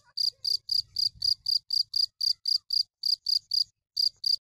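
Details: Cricket giving a run of sharp high chirps at a fast, fairly even pace with one brief gap, over a soft low rumble.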